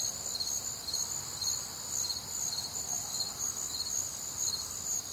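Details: Crickets and other nocturnal insects on a warm, humid Midwestern summer night: a dense, continuous chorus of high, shrill pulsing chirps layered at several pitches, rapidly repeated and unbroken throughout, with a faint low background hum.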